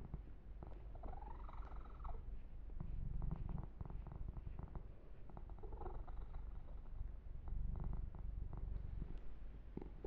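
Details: Continuous deep purring from Yumak, a domestic kitten, during a massage and fur grooming, overlaid with intermittent rustling strokes of fingers through fur.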